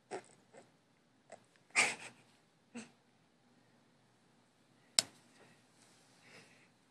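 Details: Bell, a 15-year-old female Chihuahua in deep sleep indoors, makes breathy, wheezy bursts at uneven intervals, some short and soft, one louder hiss near the middle and a sharp click later, in a quiet small room.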